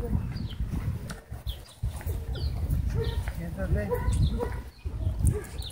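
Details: Husky frantically crying for help at a dog park before an air horn rescue; wavering, rising and falling cries and yelps repeat throughout, mixed with loud human voices and low rumbling background noise.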